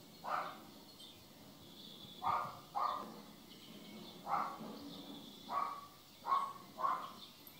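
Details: A jealous domestic cat calls in a series of about seven short, mid-pitched bursts with faint harmonics, spaced irregularly one to two seconds apart, over low background hiss.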